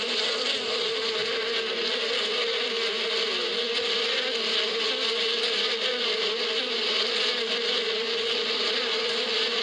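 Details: Bees in spring in the Arabian badia, a steady, unbroken buzzing hum from many insects with a low drone and a bright hiss of wingbeats, holding level throughout without pauses.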